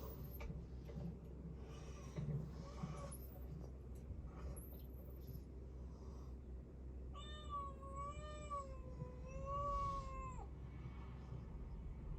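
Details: Domestic cat, a rescued kitten with tuxedo markings, giving a long wavering meow of about three seconds with a slight rise and fall in pitch, after quieter rustling and faint sounds; steady low hum underneath.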